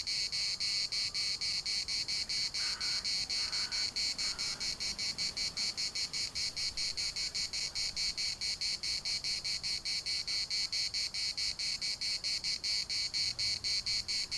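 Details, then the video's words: Chorus of cicadas at Larnaca's municipal park in Cyprus, an unbroken high buzzing throb in rapid regular pulses, with a few faint lower call notes briefly showing early on behind it. "CICADAS at the municipal Park Larnaca"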